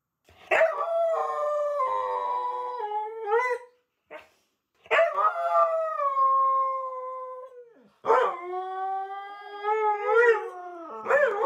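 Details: Three Siberian Huskies left home alone, howling together in a chorus while waiting for their owners to return; long, drawn-out tonal howls rising and falling, with brief gaps and sharp yelping onsets between phrases.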